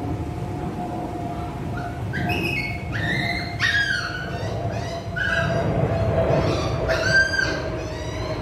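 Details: High-pitched, clipped yips from a poodle during training in Saigon, Vietnam, come in a loose run of five or six short harmonic calls, some rising slightly, against a constant low background rumble.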